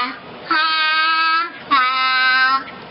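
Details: Zola, a young grey seal, sings two long, steady, voice-like notes, the second slightly lower, imitating the Star Wars tune; this learned imitation shows it can distinguish and control note pitch.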